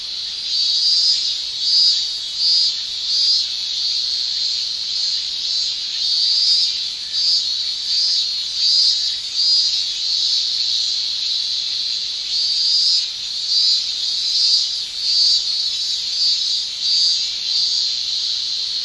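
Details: Male cicadas of a Japanese summer, sounding their tymbals, give a loud high shrill that pulses in repeated bursts, roughly one every second, over a continuous buzzing background.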